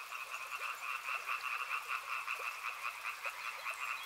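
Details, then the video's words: Frogs calling in a rhythmic chorus, pulsed croaks repeated about twice a second in a wavering pattern, with a light background hiss. "Frog Sounds | Soothing sounds of river and frogs"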